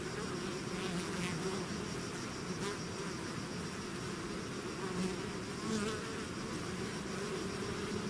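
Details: Bees swarming out of their hive: a thick, unbroken droning buzz, low and even, with occasional short louder whines as single insects fly near.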